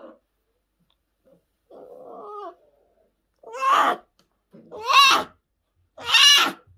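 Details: Orphaned newborn brown bear cubs at a rescue centre in 2023, after losing their mothers: a soft short whimper, then three loud, harmonic, wavering bawls about a second apart, each rising then falling, in a quiet indoor space.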